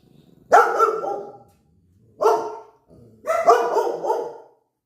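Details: Dogs on high alert during a short countryside visit. Three separate barks, each loud and harmonic with a quick onset and a fading tail, spaced about a second apart with quiet gaps between.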